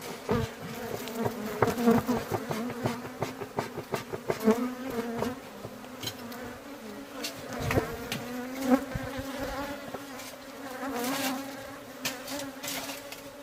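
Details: Aggressive honey bees at a beehive buzz close around a beekeeper, a steady, low, wavering drone that rises and falls as they fly near.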